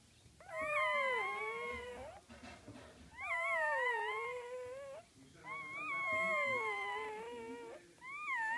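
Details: Young puppies give three drawn-out whimpering wails, each about one and a half seconds long and sliding down then up in pitch, with short pauses and faint rustling between them.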